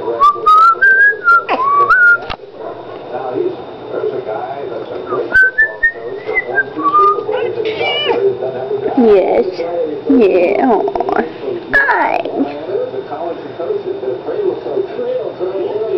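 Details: Steeler, a pet cat, meows or "sings" along whenever his owner whistles. Bright rising whistled phrases open the recording, then drawn-out wavering meows, sliding up and down in pitch, fill the second half, with a little whistling between them.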